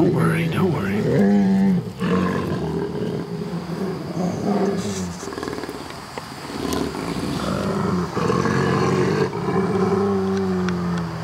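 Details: Two brother wolves growling and snarling at each other during a dispute, using vocalizations rather than fighting to settle it; long, deep, droning growls rise and fall with harsher snarling bursts, and a person's voice is heard over them.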